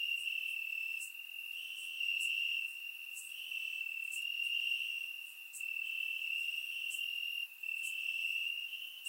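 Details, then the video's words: Night chorus of crickets chirping in grass during a warm Bulgarian summer, surround-recorded: a piercing, unbroken trill rising and falling slightly in volume, overlaid with soft ticking pulses roughly every second from further insects. "Cricket Sounds - Crickets Chirping at Night"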